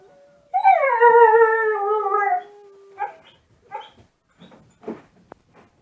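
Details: Husky-mix puppy in a dark room answers online wolf sounds, smartphone recording: a loud two-second harmonic howl sliding slightly downward, followed by a string of short soft yips and whimpers.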